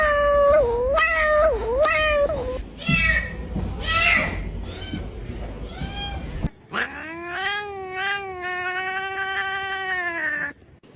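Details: Cats making cute, funny little sounds: a wavering, rising and falling meow with bright harmonics, a rougher broken vocal stretch, then a long steady drawn-out meow, in a small indoor room.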